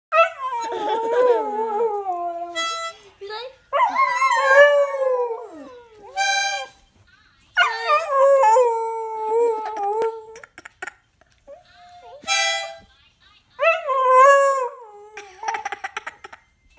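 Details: Pet beagle singing along with a young girl playing harmonica: long wavering howls that slide up and down, broken by short pauses, with brief bright harmonica notes between the howls.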